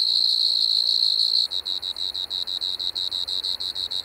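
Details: Striped Marsh-cricket, Maggia, Switzerland, 1 September 2023: a continuous high trill for about one and a half seconds, then switching to short rapid chirps, about five per second, with a low hum beneath.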